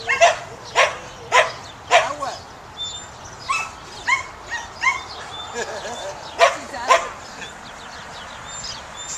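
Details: Samoyed dog at herding work; sharp, short barks in an irregular series, roughly fifteen over nine seconds, some doubled, with faint background noise.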